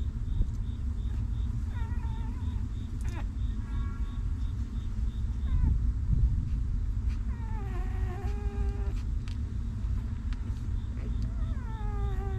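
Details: Whimpering newborn puppies cared for by their stray mother: several high, wavering whines that bend downward, spaced irregularly across the recording, one long drawn-out cry near eight seconds, all over continuous deep rumbling background noise.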